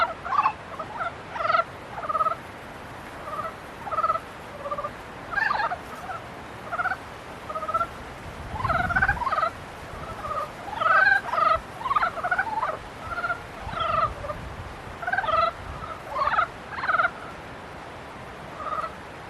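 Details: A chorus of frogs in mating season: rhythmic, rasping, harmonic croaks repeated roughly every second by several overlapping callers, with a brief low rumble near the middle.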